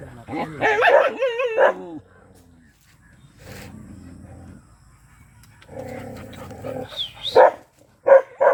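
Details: Agitated black Bhotiya dog gives a drawn-out, wavering harmonic whine-howl, then low growling, ending with two sharp barks.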